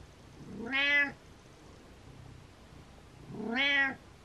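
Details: Pet cat meowing to wake its owner: two loud harmonic meows about three seconds apart, each rising then falling, in a quiet indoor room.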